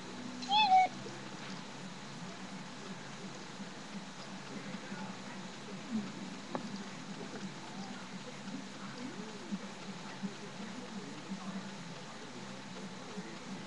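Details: Seven-month-old pet cat named Tigger, with a trick knee and unable to walk, being played with indoors to keep him active; one short, tonal meow near the start, then a long quiet stretch of room noise with faint soft taps.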